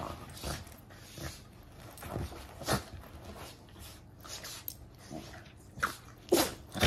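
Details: Two Basenji mix puppies, one big and one little, trade short, rough growls and snarls in bursts while play-fighting.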